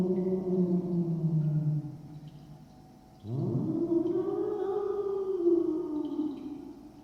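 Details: An irritated cat's meow with echo added: low drawn-out tones, then an abrupt rising cry that swells into a long sustained wail and slowly fades, smeared by reverberation.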